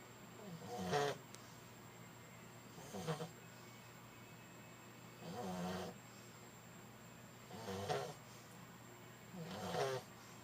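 A French Bulldog snores in loud, rasping bursts about every two seconds.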